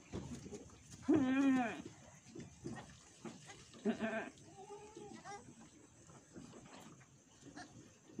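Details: Etawah goats kept by a farmer in Bukittinggi, West Sumatra, while a doe gives birth: a lower, quavering bleat stands out over steady background hiss, then a shorter second bleat and faint murmured voices.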